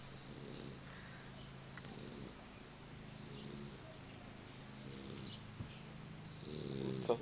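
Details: Max, a boxer puppy, snoring while asleep: a low, rough rumbling drone with harmonic bands, fairly steady throughout, swelling slightly louder near the end, with faint scattered clicks.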